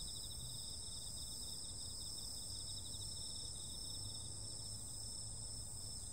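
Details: Insects calling on a summer night: a steady, high-pitched chorus of several layered continuous trills, one with a faint pulsing shimmer, unbroken throughout, over a low background rumble.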